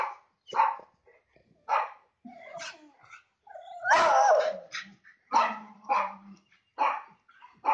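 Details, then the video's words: Dogs meeting neighbour dogs over a fence, a Labrador and Rottweiler greeting a Beagle and Lhasa Apso; short broadband barks in bursts about every second, with one longer whining, howl-like call near the middle. "The Dogs Meet The Neighbors"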